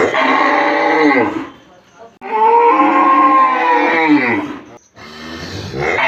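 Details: Village cow giving three sustained moos in a row. Each is a full, buzzy low bellow that droops toward its close, separated by brief silences.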